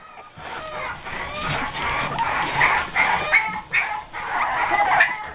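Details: Five-and-a-half-week-old Boston Terrier pups confined and screaming to get out; several high harmonic squeals rise and fall in overlapping bursts, with a person speaking over them.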